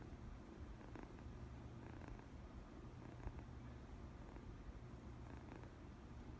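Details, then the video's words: A cat's first purr, a soft, steady low rumble held throughout at a quiet level, with a few faint clicks. "첫 골골솔"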